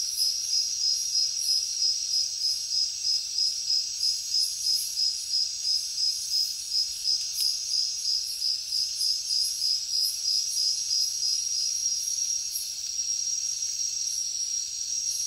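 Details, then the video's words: Crickets calling continuously: a piercing high trill with clear rhythmic pulses about three per second, fading slightly toward the end, with faint buzzy insect sounds layered above. "Crickets Nature Sound"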